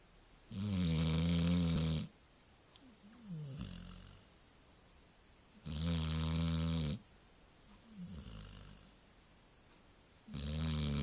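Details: A sleeping Labrador snores in a steady rhythm, loud buzzing inhalations roughly every five seconds alternating with softer whistling, sighing exhales that dip in pitch, in a quiet room with nothing else audible.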